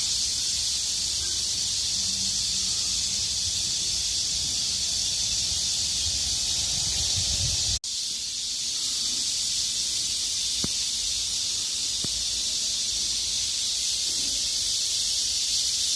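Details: Many cicadas singing as a chorus in the heat of midsummer, a steady high sizzling drone that barely wavers, briefly cut by a sharp click midway before resuming at full strength.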